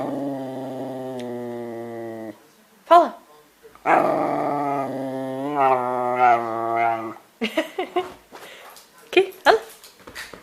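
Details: Dog made to "talk": two long, sustained, droning growl-moans with a wavering tone, the second rising and falling like speech, then a burst of short yips and vocal fragments in a small room.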